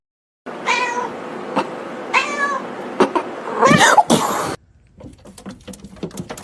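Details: Domestic cat giving two drawn-out meows with clear harmonics, then a louder, rough wavering cry, followed by clicks and a quiet stretch.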